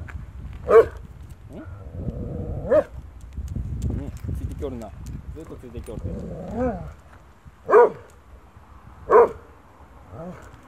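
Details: German Shorthaired Pointer barking at its own shadow: four short, sharp barks spaced irregularly over about ten seconds, with a person talking quietly in between.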